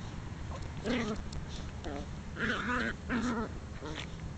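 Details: Three four-month-old puppies, the biggest male and the two smallest females, playing rough as the girls show him who's boss; short whiny yelps and squeaky growling whines come in bursts over a steady low hum.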